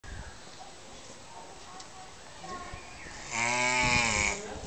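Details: Captive giant tortoises mating at Cotswold Safari park: after quiet murmuring, a loud, deep, drawn-out groan rings out for about a second with rich buzzy harmonics, over faint background voices.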